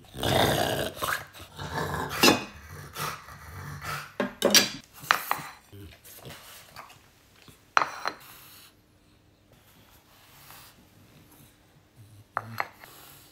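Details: French Bulldog named Oleg, indoors at feeding time, choosing between bread, apple and beef; a low rough growling rumble opens, then scattered clinks of a dish and brief sharp clatters, with faint speech and long quiet gaps.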